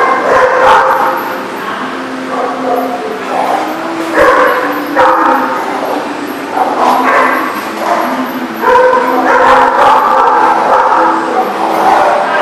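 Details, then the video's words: Dog at The Barking Lot, recorded 5/4/18, giving short, harsh barks in irregular bursts with yips between them, over a steady low hum and background chatter. "The Barking Lot"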